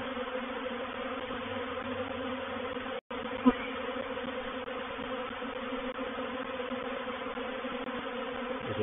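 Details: Honey bee reproductive swarm moving into a bait hive (swarm trap) at Painted Peacock Manor, dated 04/07/21: a steady, dense, droning hum of many bees with layered tones and one brief dropout.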